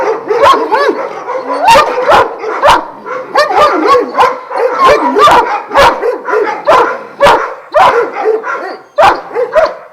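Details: Several Šarplaninac dogs from a kennel of twelve, Vujanski lineage, in Jasika near Kruševac; loud mixed barks, yelps and bending whine-like cries in quick succession, punctuated by sharp clanking impacts.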